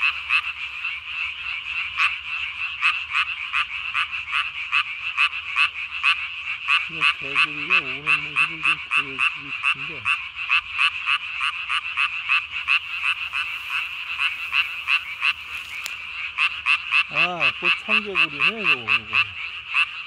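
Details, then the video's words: Japanese tree frog recorded at night on 3 May 2020, inflating its throat sac to body size; a long, rapid train of raspy clicks, about three to four per second, with two bursts of deeper warbling croaks. "밤에 우는 청개구리 울음판이 몸통 만큼 크네요?"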